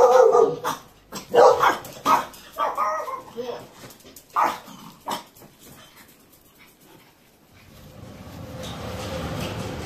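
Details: Chihuahua greeting its owner with joyful barking on arrival: a burst of sharp, high barks and yelps, about six in the first five seconds, then softer whines and a rushing noise at the end.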